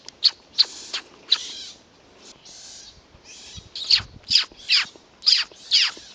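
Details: At Kälberberg on 8 May 2012, young pine martens discovering their surroundings utter high, sharp squeaks about twice a second, interspersed with soft hissing rushes and a brief lull midway.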